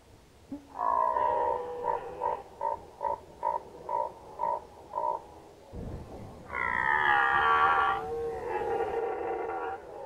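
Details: Red deer stag during the autumn rut of 2019 in Unteres Odertal National Park: about eight short, throaty grunts in quick succession, followed after a pause by a long, loud, rasping roar.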